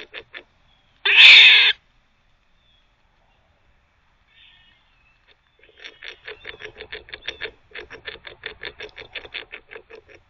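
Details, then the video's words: Squirrel barking while teething, one loud harsh burst early on, then after a quiet stretch a rapid run of short pulsed barks, about four per second, continuing to the end. "Squirrel barking (while teething)"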